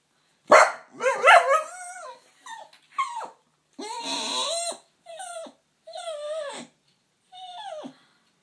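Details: Staffordshire Bull Terrier bitch on a man's knee making funny noises at unseen workmen on a field; loud opening yelps, then a series of wavering, whiny, falling moans about one each second, separated by short silences.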